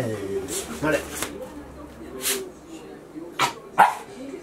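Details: Shiba Inu named Chie, excited during playtime indoors after a long break from play, filmed 3 March 2020; a few sharp, short yipping barks burst out at uneven intervals while a person talks throughout.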